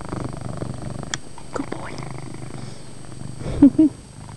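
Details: Purring pet cat indoors, a soft low rumble running steadily, broken by light rustling and a couple of short higher vocal sounds near the end.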